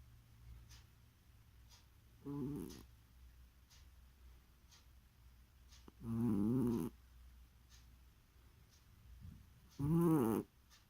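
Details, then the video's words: Sleeping cat snoring indoors in a small room: three short, rough, low breathy bursts, each under a second, about four seconds apart, with quiet between them. "Кошка храпит во сне"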